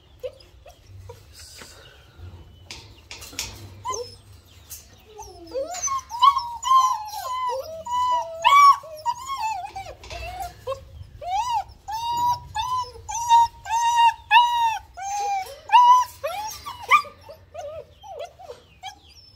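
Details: German Shepherd puppies, quiet at first, then a long run of repeated high whining yelps, about one every second, several pups overlapping before tapering off.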